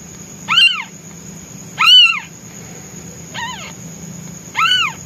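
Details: Hungry newborn white male kitten meowing loudly for its mother while she is away hunting; four high, arched, wailing meows, each rising then falling, spaced about a second apart, over a faint steady high-pitched hiss.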